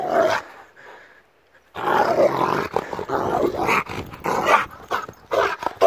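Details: Rottweiler attacking, heard as harsh, rough barks and growls in rapid bursts after a short pause, with broad noisy energy throughout.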